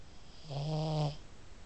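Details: Sleeping pug Millie, who snores constantly and once woke herself up: one low, humming snore with a buzzy, nasal tone swells and fades over under a second.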